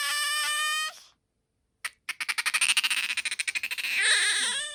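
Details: Bingo the pet otter holds a steady shrill squeak, falls silent for a moment, then breaks into a fast series of pulsed chirps that blur into a wavering high squeal.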